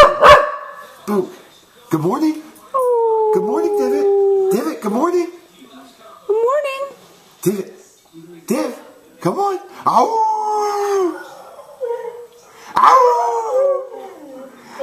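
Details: Divot the Cardigan Welsh Corgi sings together with a man, alternating short yelps and sustained falling howls, two of them drawn out for about two seconds, amid human vocal sounds and pauses.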